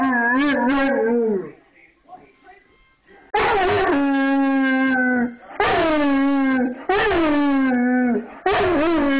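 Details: Large male Bullmastiff, 230 pounds, singing along to a mini harmonica tune: loud, sustained howls that waver and slide downward, in four or five phrases with a brief quieter gap near the start.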